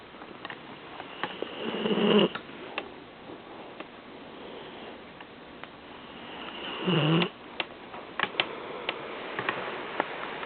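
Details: Seven-month-old Vizsla/Weimaraner puppy asleep on a couch in his usual spot, snoring with two loud, rough breaths about five seconds apart, the first near two seconds and the second near seven seconds. Light clicks and rustles are heard between them.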